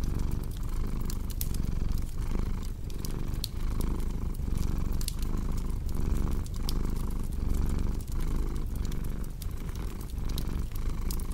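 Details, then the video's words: Domestic cat purring steadily indoors, a deep low rumble pulsing in breath cycles about once a second, with sharp crackles and pops from a fireplace scattered throughout. "Purring Cat"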